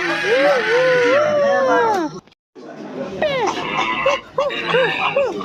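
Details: Silvery gibbon giving a long, wavering arched note that rises and falls for two seconds, then a short silence, then a series of brief rising-falling whoops in quick succession, with faint background noise.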